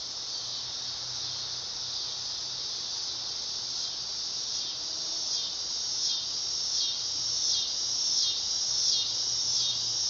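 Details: Summer song of the dog-day cicada, Neotibicen canicularis: a loud, high, continuous electric buzz that swells gradually and wavers in rapid rhythmic pulses toward the end.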